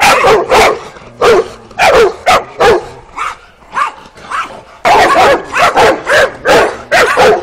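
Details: Twelve-week-old working-type Kuvasz puppies on a first walk in the street, April 2017; bursts of loud, sharp puppy barks, a brief quieter pause, then a rapid run of barking.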